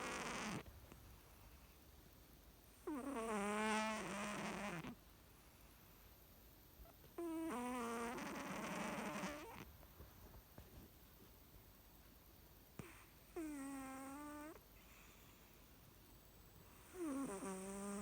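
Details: A sleeping American Shorthair cat at home snores very loudly: long, raspy, grinding breaths of about two seconds each, recurring roughly every four to five seconds, with quiet gaps between.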